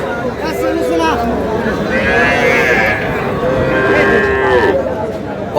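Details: Small bull calves bound for Comilla after purchase at a crowded livestock market, 10 June; a drawn-out, level moo near the end follows briefer lowing, with men talking and haggling throughout.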